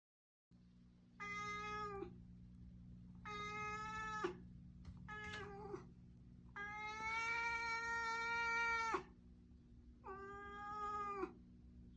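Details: Stray cat that appeared in a garden, threatening: five long drawn-out wailing meows, harmonic and strained, each one to two seconds long with short gaps, over a steady low electrical hum.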